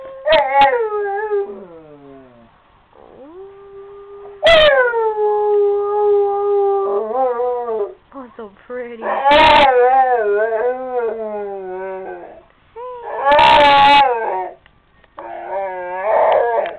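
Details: Female Rottweiler lying on the couch, singing: a series of long, steady-pitched howls with slight bends, broken by sharp rough bursts and wavering yodel-like passages, repeated over about seventeen seconds.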